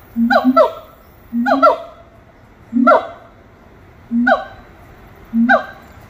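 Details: Monkeys at Little Rock Zoo singing: five paired calls, each a low hooted note followed by two higher notes swooping downward, repeated about every one and a quarter seconds over quiet background.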